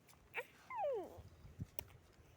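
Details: Young goat kid drinking milk from a bottle gives one high, whining bleat that slides steadily downward over about half a second, followed by soft knocks and handling noises.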